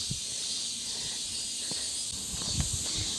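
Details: Cicadas give a steady, high, hissing buzz that never lets up, heard loudly beside a street with parked cars near a football field on the way up a mountain in Korea.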